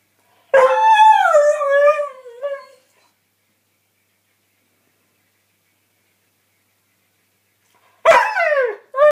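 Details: Howling Northern Inuit dog gives one wavering, falling howl lasting about two seconds, then silence, then the start of a second, shorter howl near the end.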